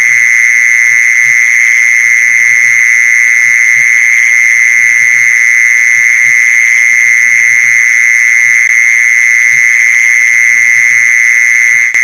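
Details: Lure call of a mole cricket: an even, continuous high trill sustained from start to finish, with light low-pitched knocks underneath.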